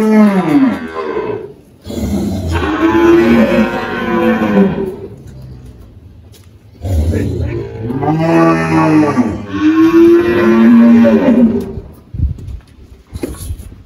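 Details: Eighteen-year-old spotted Girolando cow Malhada, recently calved, on a farm in Anápolis, Goiás, Brazil, March 2023, lows repeatedly: a short moo, then two long drawn-out bellows that rise and fall in pitch, separated by brief quiet.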